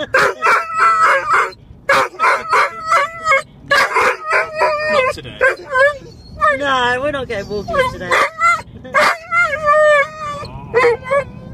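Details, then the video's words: Huntaway, a female dog, barking and vocalizing because she wants to go for a walk and play with her frisbee: short repeated yelping barks mixed with rising and falling whine-like tones, with a person talking over her. "Huntaway Aura wants to go for a walk and play with her fris"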